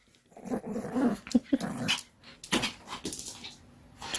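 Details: Indoor ball game with Pomeranian Kim Sarang: low, rasping growls come in short pulses over the first two seconds, followed by scuffling and clattering noises of play in a small room.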